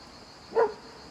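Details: Single bark from a black female hunting hound reacting to a boat drifting along the river. The bark is short and slightly softer, with a steady faint hiss around it.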